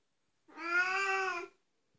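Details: Oriental Siamese cat giving one loud drawn-out meow lasting about a second, steady and slightly nasal with a gentle rise and fall in pitch, in an otherwise quiet indoor setting.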